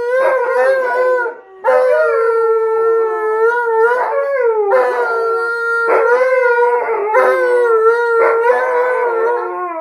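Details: Alaskan Malamutes and a Blue Bay Shepherd, three dogs howling together: drawn-out harmonic howls at a steady pitch with wavering bends, voices overlapping and restarting every second or two after a brief gap early on.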